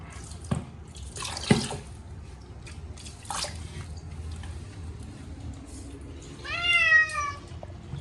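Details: During a yearly bath with catnip shampoo, Munchkin cat Chacha gives one falling, harmonic-rich meow near the end, preceded by dripping water and splashes in a small room.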